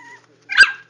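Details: Four-week-old Jack Russell Terrier puppies from JoJo's litter; one short, sharp yip rising into a bright burst that fades within half a second, preceded by a faint steady tone and otherwise quiet.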